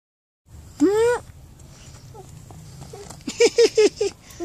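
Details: Friendly, cuddly black and white cat on a road, meowing: one clear, drawn-out meow that rises and then falls, followed after a pause by several short, clipped voiced sounds over faint outdoor background noise.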